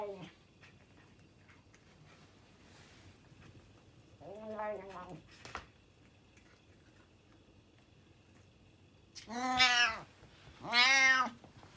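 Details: A loud domestic cat that eats quickly without chewing. It gives three harmonic meows: a shorter one near four seconds, then two louder, drawn-out arching meows around ten and eleven seconds. Quiet pauses and a brief click separate them.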